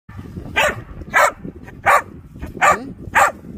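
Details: Whippet barking: five sharp, loud barks spaced roughly every half second over a low background rumble.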